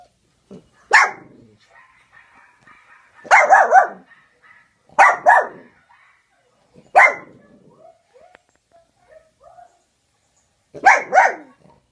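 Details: Peanut, a pet dog, barks while watching other dogs on a laptop screen indoors. The barks are sharp and come in short bursts of one to three, spaced irregularly a few seconds apart. Quiet faint sounds fill the gaps.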